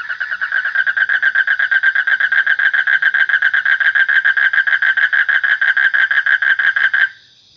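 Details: One frog gives a sustained series of fast, regular nasal pulses, loud and even, for about seven seconds, ending sharply into near silence.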